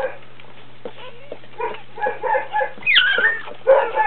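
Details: Dobermann whelping, a puppy being born: soft broken whimpers build toward a sharp squeal that rises then drops, followed by further short whining yelps against a faint steady hum.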